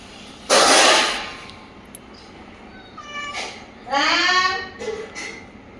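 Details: Household pet cat, recorded 2/1/2026, being urged by its owner to speak for milk: a loud noisy bump, then a brief meow with upward-sweeping harmonics amid the person's talking.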